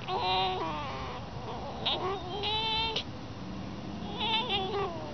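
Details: Playful pet fox making thin, high, wavering whines and brief squeaks, with quieter gaps between the calls.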